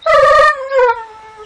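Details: Loud, sustained howl-like vocalization from a Dogo Argentino 'talking': a rich harmonic tone holds steady, then glides lower and fades over about a second.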